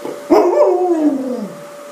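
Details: An Alaskan Malamute named Summ, freshly bathed, gives a brief, mellow howl that swells upward then glides steadily lower over about a second, over a faint steady hum, while a person talks nearby about its ball.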